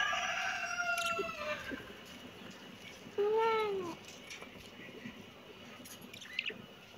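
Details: Kitten meowing twice: a long, drawn-out, gently falling meow at the start, then a shorter, louder, arched meow about three seconds in, with faint clicks and rustling in the background.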